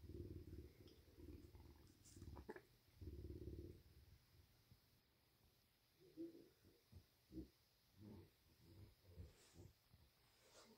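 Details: Big, a male bobcat fed deer meat and given a belly rub, gives two short bursts of deep pulsed purring. Quieter scattered thumps and handling noises follow.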